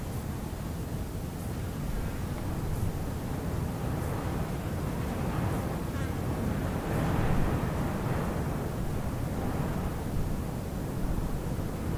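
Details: Strong wind roars steadily across the microphone, with no clear animal voice standing out. The gusting low rumble fills the recording from start to finish.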